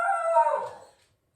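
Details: Tail end of a Shetland Sheepdog's howl, a pet known to sneeze before howling: one strong harmonic-rich tone fading out within a second into silence.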